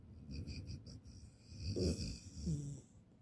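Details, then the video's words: A sleeping female puppy in NYC snoring loudly: soft low rasping breaths that swell into two louder, rougher snores near the end, with a faint high electronic tone in the room. "she snores real loud"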